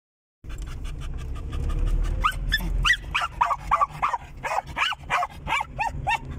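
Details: A German Jagdterrier dog riding in a car gives rapid, high, rising yips and whiny barks, several per second, over a steady low rumble of engine and road noise.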